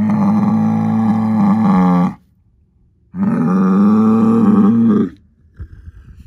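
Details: Two powerful sustained bellows from an Angus herd sire bull born in spring 2018, son of SAV Harvestor 0338; each is held steady for about two seconds, with a short breathy grunt at the end.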